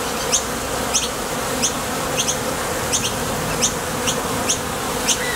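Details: Honey bees buzzing steadily at the entrance of a top bar hive as they depart for and return from nectar foraging. A constant low drone runs under quick high chirps, often in pairs, spaced irregularly.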